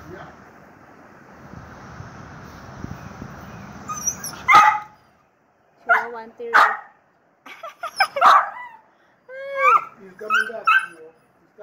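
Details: Chihuahua-terrier mix dog begging for a walk and urged to sing, breaking into loud, harmonic yelping howls in bursts of rising and falling whines, four or five separated cries after a stretch of low background noise.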